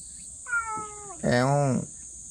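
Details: Domestic cat holding its ground in a yard it entered: one clear, drawn-out meow sliding downward, followed right away by a person's voice, with a constant high insect drone behind.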